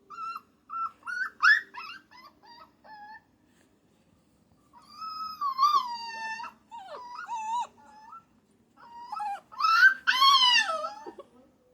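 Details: Puppy whines: a few short high cries, a pause, then a drawn-out wavering whine and choppy whimpers, closing with a loud strained cry that rises and then falls.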